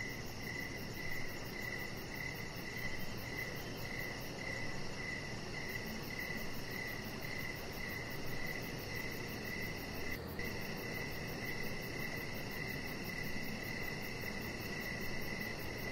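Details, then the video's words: Crickets calling outside a deck at evening, their high pulsed chirping running almost continuously as an even trill, with steady background hiss throughout. "Cricket Sounds"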